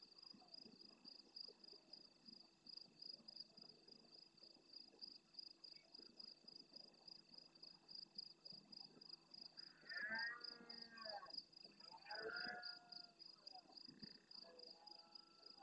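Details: Large red deer stag roaring intensely at nightfall near the camera in the Doñana National Park marsh at El Rocío, Almonte, Huelva, Spain, answering more distant stags. Two hoarse, harmonic bursts come close together, over a steady, rapid pulsing of insects.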